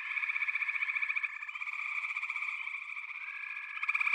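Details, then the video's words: Dense frog chorus from backwater: continuous high trilling band with rapid pulsed croaks layered over one another, several callers overlapping, louder bursts near the start and end. "Backwater Chorus, & Frog Chorus"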